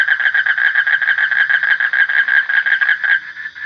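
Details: A loud frog delivers a steady run of quick, throbbing pulses with a bright tonal ring. It fades near the end of the short stretch.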